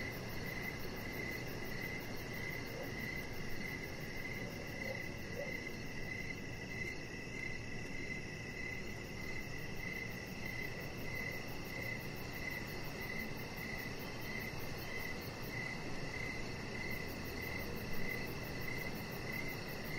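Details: Outdoor evening chorus of crickets by a deck: rapid, regular high pulses run throughout, set against a fainter continuous tone and steady low-frequency noise.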